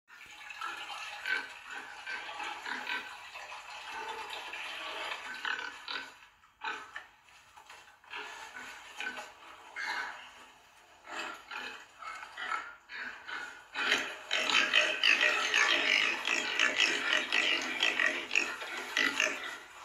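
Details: Piglets and pigs, a mixed group, calling in a dense stream of short, harsh squeals and grunts. The calls pause briefly around a third of the way through, then grow louder and busier in the final few seconds.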